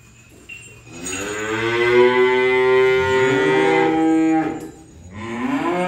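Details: A cow's moo during unloading of cattle: a long bellow that swells, holds for about three seconds, then falls away, followed by the start of a second call.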